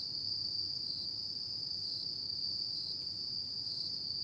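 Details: Insects singing on an autumn night: an unbroken high-pitched ringing trill with slight periodic wavering, over quiet low background hum.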